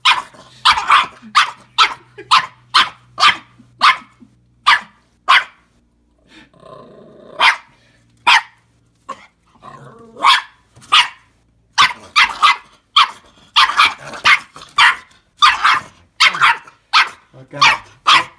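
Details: Nervous about Anja, a pet fox, a new puppy barks almost nonstop in a long series of high, sharp yaps, roughly two per second, broken by a brief quieter grumbling lull.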